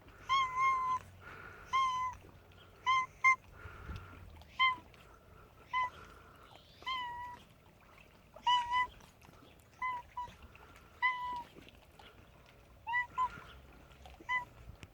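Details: Cat making a funny sound: a run of short chirping, clipped meow-like calls in quick bursts of two or three, repeated irregularly across fifteen seconds, with faint rustling between.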